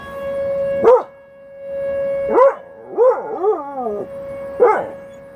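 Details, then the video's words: Buddy, a dog, joins tornado sirens with short rising yelps and a quavering, up-and-down howl in the middle, a steady siren tone held underneath. "Buddy howls with the tornado sirens!!"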